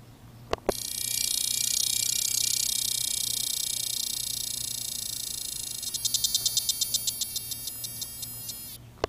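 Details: A cactus dodger cicada (Cacama valvata) calls while sitting on a person's hand in the Sonoran Desert near Tucson, Arizona: a loud, steady, high buzz that breaks into rapid pulses at the end.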